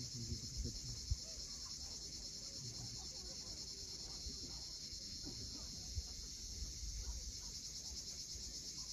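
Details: At sunset on the cliffs of Cape Fiolent, Crimea, cicadas keep up a constant high, sizzling buzz while waves murmur below and a few short knocks or splashes stand out.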